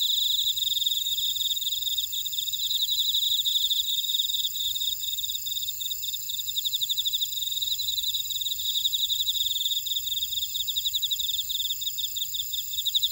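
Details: Chorus of field insects from a buckwheat field in Orado, Jeju City, on Jeju Island, South Korea: steady high-pitched trilling and ticking pulses overlapping throughout, shimmering without pause.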